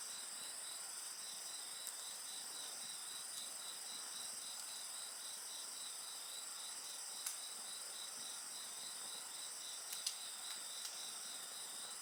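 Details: High insect song rings steadily next to a bonfire, a sustained shrill tone over a fast rhythmic trill, with a few distinct cracks and snaps from burning wood.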